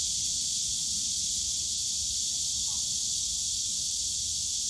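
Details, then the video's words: Cicadas shrilling without pause in the Yongsan Family Park bamboo forest on a summer day, a flat, intense high buzz, with a faint voice briefly heard beneath it and low park hum. "용산가족공원 대나무숲 매미소리"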